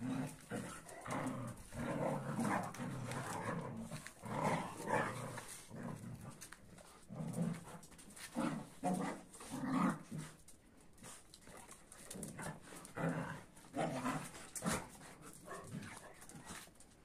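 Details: Angry dogs sorting out who's boss, a Kuvasz mad at a Boerboel and a sheepdog: deep, rough growls and gruff barks come in irregular bursts throughout, overlapping and rumbling, with short pauses between flare-ups.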